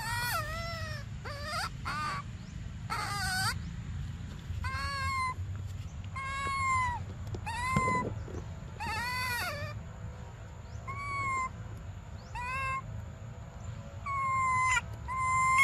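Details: Young monkey Briar begging for milk, giving clear harmonic wails that fall then level off, spaced a second or two apart, with a few short noisy bursts and low background hum.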